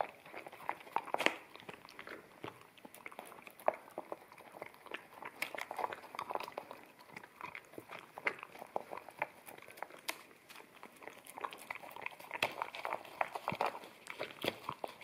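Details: An Akita puppy feeds on wet kibble from a bamboo plate in a small room, captured on a ZS100 camera in stereo; rapid crunching bites and wet chewing clicks come in bursts, with louder crunches every second or so.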